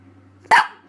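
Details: A four-month-old male Boston Terrier puppy, rolling around on his back and making odd sounds, gives a single short, sharp bark with a slightly rough edge.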